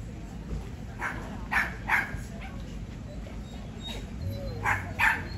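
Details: Barking dog at an AKC conformation show in Cumberland, Maryland, on August 17, 2024, during Non-Sporting Group judging: short yappy barks, some in quick pairs, in an irregular burst, over a continuous background hum of crowd chatter.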